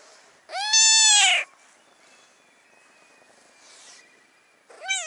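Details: A brown tabby stray cat on a cat island, wanting to be put on a person's knee, gives a loud, drawn-out meow, then starts another near the end.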